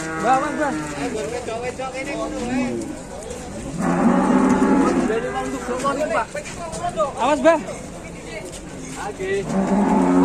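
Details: Cattle at Setia Farm in Indonesia, said to resemble Wariso, being led out of its pen: deep harmonic lowing bursts rising and falling over a span of seconds, mixed with men talking nearby and outdoor farmyard noise.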